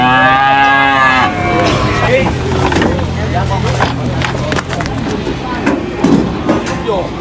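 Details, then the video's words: Cow unloaded from a truck at a livestock market lets out a drawn-out, falling moo lasting about a second, then a low rumbling bellow beneath heavy market noise, chatter and vehicle sounds. "funny cow unloading from truck at the market"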